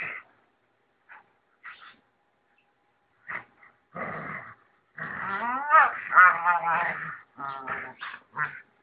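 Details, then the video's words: Rottweiler voicing protest when disturbed: a few short barks, then a loud, continuous, wavering moan-like whine with rising and falling pitch, ending in quick yelps. "Don't try to disturb Rottweiler"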